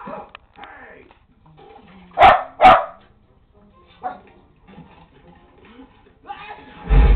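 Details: A Lakeland Terrier barks at the TV indoors, giving two sharp, loud barks in quick succession. A softer single bark follows about a second and a half later. Quiet room noise surrounds them, and a brief thump comes at the end.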